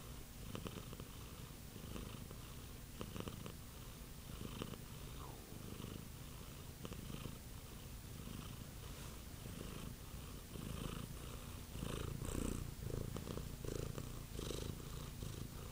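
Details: Domestic cat purring steadily with a low rumbling throb, rhythmic pulses of breath-driven vibration continuing throughout, slightly louder toward the end, with a few faint higher clicks or rustles.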